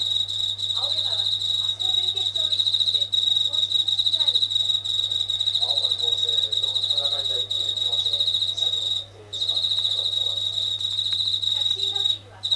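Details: Japanese katydid inside a house, singing nightly near the kitchen ceiling and growing louder when the tap is turned on. A long shrill buzzing trill with two short gaps near the end, over faint lower chirping noises and a low hum.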